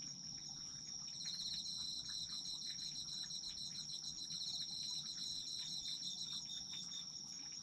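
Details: Autumn insect chorus for sleep: a constant high-pitched ringing tone with a second pulsing, rapidly repeated chirp layered in after the first second, over faint low background hiss.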